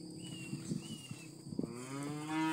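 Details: A calf, one of a group of calves offered for sale in Patos, Paraíba, gives a low, drawn-out moo that rises slightly toward the end, after knocks and shuffling.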